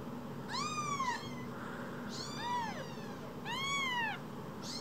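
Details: Two rescued kittens, tiny as a cell phone, cry in three clear arched meows spaced about a second and a half apart, rising then sliding down, with faint softer mews between.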